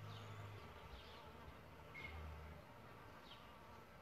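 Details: Solitary bees nesting in a bug hotel give a low, droning flight buzz, first at the start and again past two seconds. Faint high chirps sound in the background.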